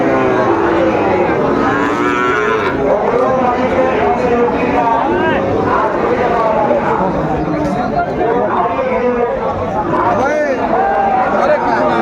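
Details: Sahiwal bull calves at a busy cattle market on 15 June 2024, bought by a farmer from Sylhet: drawn-out, low, harmonic moos overlap through the clip amid a steady babble of crowd voices and haggling.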